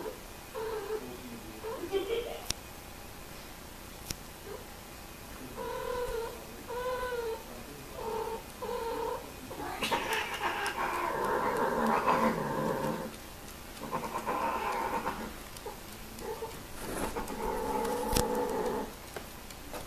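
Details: Domestic cats while mating utter repeated short yowls, then a long, loud, rough wailing stretch in the middle, followed by more moaning cries; faint human voices mix in.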